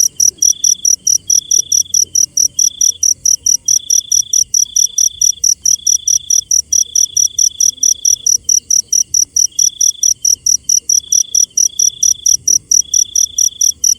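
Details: A cricket pulses steadily at night, high and crisp at about four beats a second. A second lower, buzzy trill comes in separate bursts of a second or so between short pauses.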